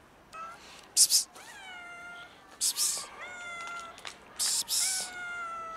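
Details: Scared black kitten up a tree meowing: drawn-out, slightly rising meows, about five in quick succession, with short harsh hissing bursts of broadband noise between them.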